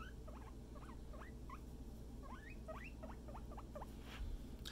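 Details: Guinea pig Scruff out for floor time with a companion, giving quick upward-sliding squeaks in an irregular series over a steady low room hum.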